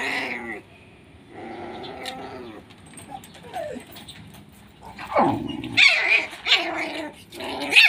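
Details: Pit Bull puppy from Nanu pitbull farm, SHERA bloodline, described as fully aggressive. Quiet, rough growly notes and a sliding yelp open the clip, then a burst of louder, sharper yapping barks closes it.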